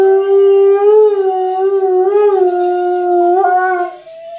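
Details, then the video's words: An Alaskan Malamute holds a long, level howl with slight wavers and small pitch bends near the end before it breaks off. "Malamute howling"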